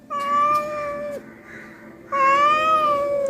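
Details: Two long, loud, level meows with a quiet gap between them from a neighbourhood cat that has come to Ruby and Kulkuli's house wanting food. Faint talking is heard softly in the gap.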